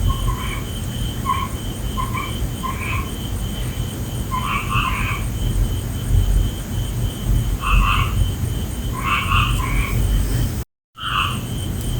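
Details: Night-time frogs giving short harmonic croaks in rapid doubled and tripled clusters, pauses between bouts, with a brief silent gap near the end and steady low rumble plus thin high hum throughout.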